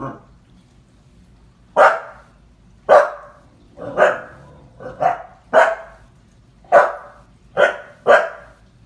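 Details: Young female Husky, seven months, barking at a clown from the film IT paused on the TV; a steady string of about nine sharp barks, spaced irregularly under a second apart, some slightly hoarse.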